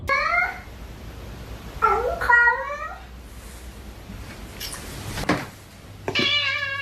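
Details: Domestic cat in a funny cat compilation, giving three drawn-out, harmonic meows: one short at the start, a longer bending one near two seconds, and a final rising-then-steady meow at the end, with people talking in between.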